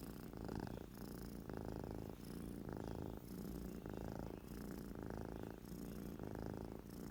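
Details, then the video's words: Sleeping cat snoring indoors, a steady low rumbling that swells and fades in even breaths about once a second, with a soft harmonic buzz throughout and no other sounds. "Super cute cat snoring"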